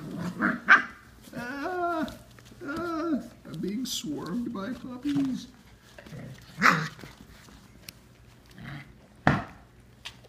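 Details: Samoyed puppies just over five weeks old swarming a person in an indoor pen, giving short yips and whiny, bending cries in a cluster over the first few seconds, then scattered single sounds, mixed with a man's cheerful talk.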